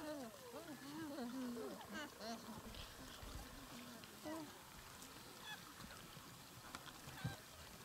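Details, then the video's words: Gelada baboons in Ethiopia's Simien region, October–November 2015. Wavering, warbling voiced calls overlap at the start, then fade to scattered softer calls against steady rustling background noise. "Simien Gelada baboons"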